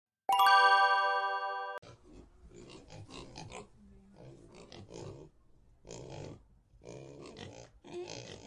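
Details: Pigs in a pigsty: after a loud, steady harmonic chime in the first two seconds, irregular bursts of rough, low grunting and snorting follow in clusters, some squeaky higher notes mixed in.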